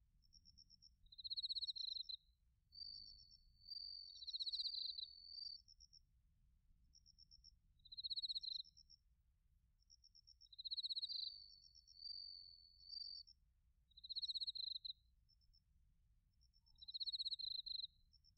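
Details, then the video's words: Bell crickets and crickets singing in autumn at Narita in Chiba Prefecture, Japan, captured with a TASCAM Portacapture X8: high, bright pulsed trills in short bursts roughly every one and a half seconds, with occasional longer ringing notes between them and a quiet low hum. "秋の音 スズムシとコオロギの鳴き声 - Sounds of autumn, chirping of crickets and crickets"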